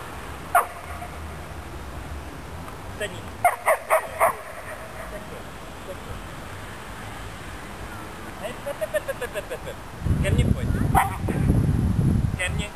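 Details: Jedi, a six-month-old female German Shepherd and German Shorthaired Pointer cross, playing frisbee in a park: short sharp barks in quick bursts of about four, with a person talking, wind rumble and outdoor noise.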